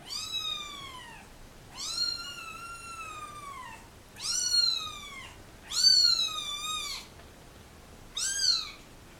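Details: Kittens, dumped with their mother in a box at a turnpike, crying while being photographed: five high, arched meows with rich harmonics, each about a second long, spaced roughly two seconds apart in a quiet room.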